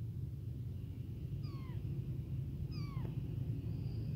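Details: A tiny, newly born, abandoned kitten cries nonstop for its mother and milk, giving two high, thin meows that slide downward.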